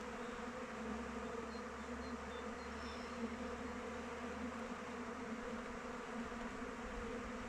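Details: A kept honey bee colony flies around the hive in open weather, making a steady, low, layered buzzing with a few faint high chirps from a distant bird early on.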